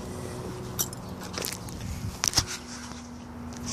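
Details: Soft rustling, clicks and a few sharp knocks over low background hum, with no animal call heard.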